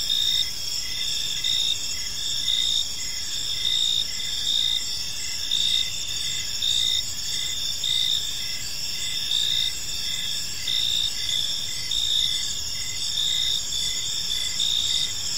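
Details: A cricket chorus in a serene park as evening falls: continuous shrill chirping in stacked high tones, pulsing evenly about once a second throughout the recording.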